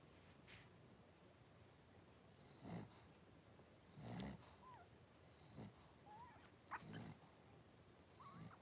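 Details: Blenheim Cavalier King Charles Spaniel puppies, a litter of five born at New Year with their mother Paris, in an indoor puppy pen at Red Barn Cavaliers on 26 January 2023; faint high squeaky whimpers rise and bend between soft low snuffling thumps.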